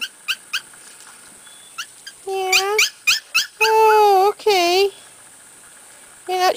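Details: Several short yips followed by long, level whimpering whines, some bending downward, from a litter of Corgi puppies playing in an outdoor yard on their first trip outside; a woman speaks softly between calls.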